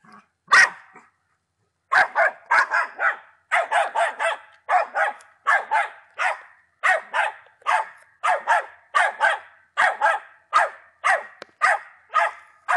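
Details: Young Patterdale Terrier aged ten months giving one bark, a pause, then a long steady series of sharp, high barks roughly three per second in quick pairs and triplets.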